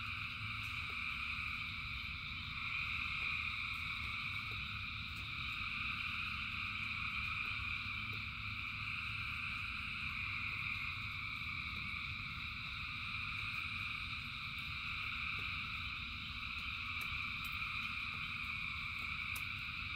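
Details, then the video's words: Thousands of frogs singing together in rain: a dense, unbroken chorus of layered buzzing trills holding steady at several pitches, with faint clicking pulses, over a continuous low rumble of rainfall. "Frogs in Rain 2 Hours of Frogs, Thousands of Frogs Singing"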